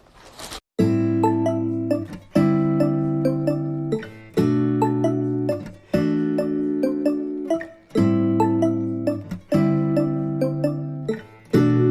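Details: Bright keyboard music with repeated piano chords and short melodic phrases, and no animal sound heard.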